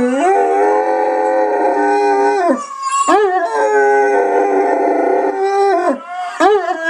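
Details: Big pet dog singing: long sustained tonal howls holding steady pitch for over two seconds, then dropping away, with brief wavering rises between, a second long howl following; a person praises the dog.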